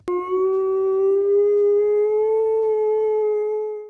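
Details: A dog howling, a behaviour that can come from boredom when it lacks physical activity, fun, walks or interesting toys. One long, smooth, sustained howl that holds a steady tone and rises very slightly before fading at the end.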